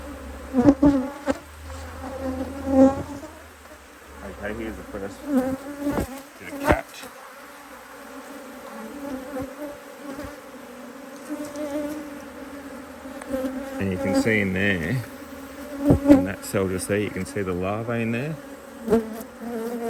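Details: Honey bees buzzing around an opened Australian-designed Hive IQ hive during a mid-autumn 2023 box addition, bees working hard in fine weather; a droning hum that swells and wavers in pitch as bees fly close, with frequent sharp knocks and clicks from handling.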